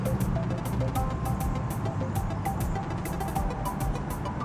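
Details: Loud rhythmic music plays over a deep rumbling, engine-like background, with no animal calls.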